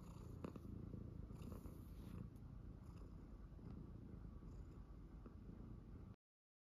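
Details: Calm pet cat, a tuxedo, purring through a nail-cutting session, a quiet even low rumble with a few clicks from the clippers before the sound cuts off.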